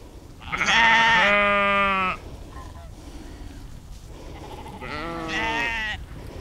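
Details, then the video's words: Sheep in an outdoor field recording made with an Insta360 X3 and Zoom H2n, giving two harmonic, wavering bleats: a loud one lasting over a second, then a quieter, shorter one after a pause, over a low background hiss. "Sheep Schafe"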